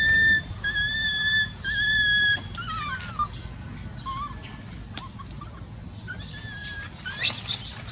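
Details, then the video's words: Baby monkey with a painful eye, crying: long, steady, high whistled wails held for about half a second each, then shorter dipping and rising squeals, over a low background hum. "Supper cries...Baby | Very painful in eye, So pity adorable baby monkey"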